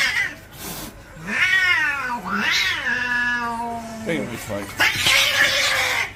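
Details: Territorial cat fight: long wavering yowls that rise and fall, sliding down into a low drawn-out moan, followed by a sharper screeching burst.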